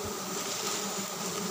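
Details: Giant honey bees (Apis dorsata) humming during a dry-season honey harvest: a short, unbroken steady drone with a hissy upper layer, plus one low thump at the start.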